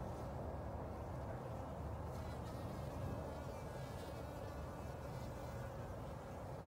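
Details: Spring honey bees taking water from a bucket lid in late March 2021 produce a dense, even, low-pitched buzzing that carries unbroken for several seconds before cutting off abruptly.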